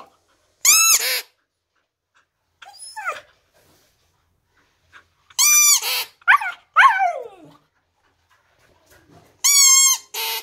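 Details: Siberian husky howling, its voice called singing: three bursts of harmonic, wavering howl-yelps with arched pitch, each under a second, separated by shorter squeaky whines, in a quiet indoor setting.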